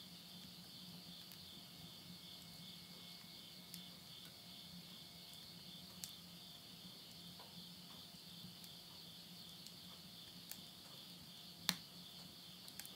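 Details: Insects singing at midnight at the end of summer, September 2020, in the countryside of Yurihama, Tottori, Japan. A steady, high, pulsing trill fills the background, with occasional loud pops from a wood fire in a stove and a low hum.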